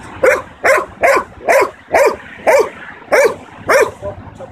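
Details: A 9-month-old male Belgian Malinois in protection training barks on command while locked on a target, giving a steady run of sharp, clipped barks, roughly two every second.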